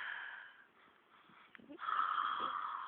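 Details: Baloo, a domestic horse, sleeping deeply after collapsing from sitting up, snoring loudly without flinching: a raspy, wheezing snore with breathy noise, a brief pause midway, then a louder, steadier rasping breath, with a woman's voice talking to him nearby.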